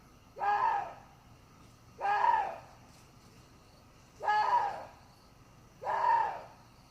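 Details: Water deer calling: four harsh, hoarse barks with stacked harmonics, each about half a second long, bending up then down, repeated roughly every one and a half to two seconds over a quiet background.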